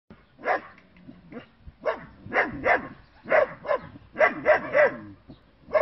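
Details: German Shepherd puppies, bicolour and black, short-haired working line, give sharp high yipping barks in quick irregular bursts, several in a row with short pauses, against a quiet background.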